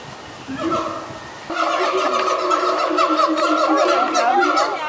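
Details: Siamangs Pete and Sapphire at Brevard Zoo singing in the morning from their island, throat sacs inflating: after a quieter start, loud wavering hoots and barks swell into a dense overlapping chorus.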